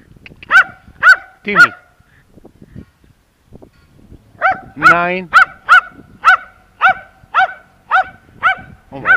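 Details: Sharp, ringing barks from Timmy the terrier: three quick barks, a pause, then a drawn-out whining yelp, followed by a steady series of about ten barks spaced roughly half a second apart.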